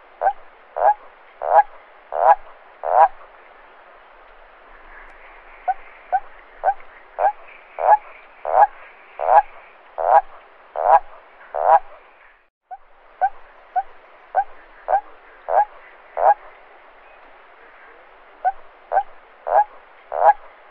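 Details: A toad croaks at night in short bursts of clipped notes, each run growing louder; the call attracts females or defends territory, typical of marshes on summer nights.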